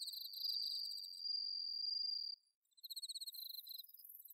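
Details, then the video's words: Autumn-night bell cricket from the Inba-numa paddy fields of Chiba, Japan, giving a sustained high ringing note for about two seconds beside fast pulsed cricket chirps, then a brief pause before more pulsing trills resume. "秋の虫の鳴き声 スズムシ コオロギの鳴き声"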